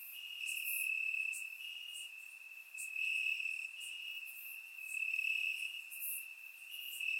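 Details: Summer-night crickets chirping in Bulgarian grass: one shrill, even-pitched trill runs continuously, its volume waxing and waning every couple of seconds, accompanied by faint high insect buzzing; surround-microphone recording.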